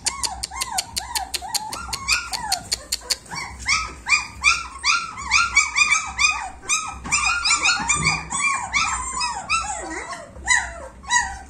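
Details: German Shepherd puppies, 26 days old, double-coated, whimpering together indoors: a busy chorus of high, arching whines and squeaks, rapid and overlapping, opening with a run of short sharp clicks.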